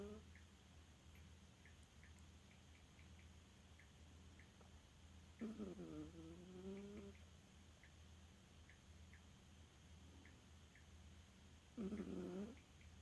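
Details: Elfa, a dog who loves to sleep and sometimes snores, lets out two rough, buzzy snores roughly six seconds apart, each lasting about a second, over a steady low hum.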